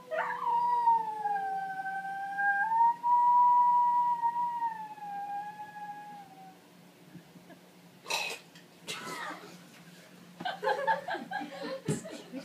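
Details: Italian Greyhound in a vocal warm-up, holding one long, steady, high howl for about six seconds with a slight dip in the middle, followed by loud broadband thumps and clattering noises.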